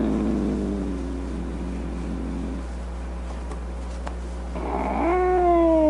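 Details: Cat growling low and raspy for a few seconds. After a quiet pause it breaks into a rising, strained yowl that holds a high tone at the end.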